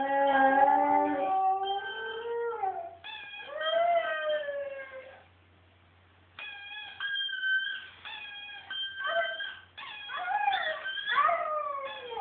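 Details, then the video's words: Siberian Husky giving a sliding howl that falls away, then bursts of higher yodelling, whimper-like notes, a brief silent pause, and further quick wavering cries with sharp rises and dips. "Siberian Husky Howl"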